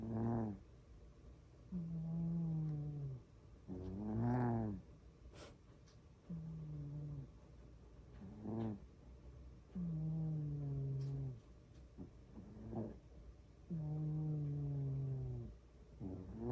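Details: Loud snores from a sleeping domestic cat, each a steady low humming drawn breath followed by a brief grating puff, repeating about every four seconds in a quiet room.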